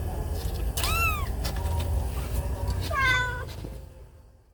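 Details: Angry mother cat whose kitten was bitten: two short, arching meows, the second higher and more strained, against a low rumbling background that fades away at the end.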